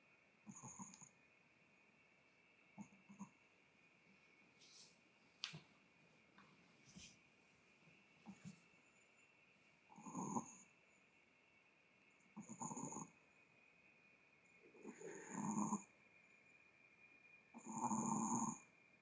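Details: Chihuahua named Kohaku, content and relaxed, snoring: soft breathy snorts recurring every two to three seconds, the later ones longer and louder, over a steady faint electrical hum.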